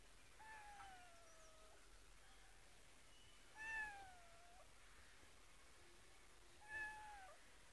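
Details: A cat gives three drawn-out meows, the first long and gently falling, the next two shorter with a rising then falling tone, spaced a few seconds apart in a quiet indoor setting.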